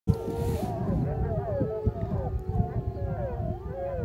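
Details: Wolves of the Wapiti Lake pack, about 16 animals, howl together in the morning, long wavering tones overlapping over a low rumbling background.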